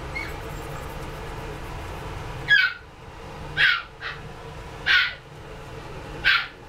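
Scottish Fold kittens give short, high mews, spaced about a second apart over a low background hum.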